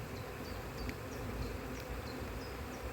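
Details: Honey bee colony from a spring split, checked frame by frame in cold conditions in 2024, no brood or eggs found; continuous low buzzing hum, with small high chirps repeating roughly every half second.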